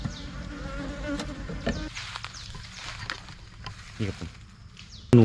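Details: Thai cavity-nesting honey bees swarming and moving into a new hive box, a steady low droning hum of many bees with passing individual buzzes, clicks and handling knocks, ending in a loud thump.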